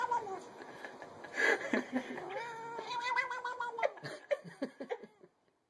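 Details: Domestic cat from a funny cats compilation giving drawn-out, wavering yowls with rising and falling harmonic tones, broken by sharp clattering noises and brief human speech and laughter near the end.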